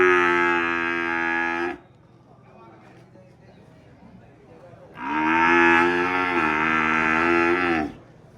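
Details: Cattle lowing, two long rich harmonic moos, the first about 1.7 seconds long, a quiet gap, then a second near 3 seconds long with a slight wavering pitch.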